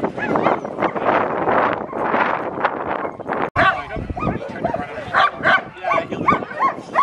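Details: Alaskan Malamute Sojou at sled dog training alongside her mother Sola and other sled dogs at Farren Park, Ontario, Canada, on 24 October 2020. A dense, noisy dog chorus gives way to a run of short, sharp barks in the second half.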